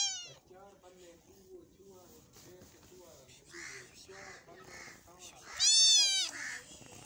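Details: Cat eating meat utters a short meow at the start and, near the end, one loud, arching meow that rises then falls, with quieter voice-like sounds and background noise between them.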